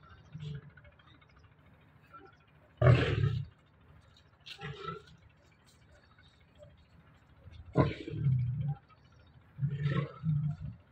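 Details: A Bengal tiger with its trainer gives deep, rumbling roars and growls in several short bursts, over music.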